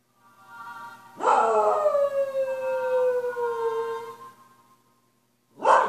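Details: A Cocker Spaniel gives a long, coyote-like sustained howl that slowly slides downward in pitch, singing along to music playing faintly behind.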